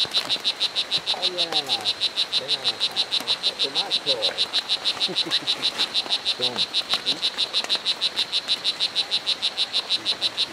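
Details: O. pumilio, the strawberry dart frog, calling at Hitoy Cerere Biological Reserve in Costa Rica: a loud, unbroken train of sharp high-pitched chirps about three per second, with soft human speech audible in the background.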